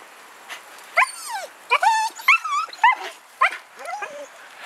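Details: Siberian Husky, a talking pet dog, vocalizing after finding a squirrel: a run of short yodelling, wavering howl-like calls with sliding pitch, about six phrases in under five seconds, quiet background.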